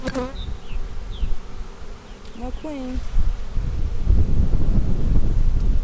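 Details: Honey bee hive being inspected in April 2017, a split from March 4: bird whistles and sliding chirps open the recording, then the bees' low, rumbling hum swells and dominates the last seconds.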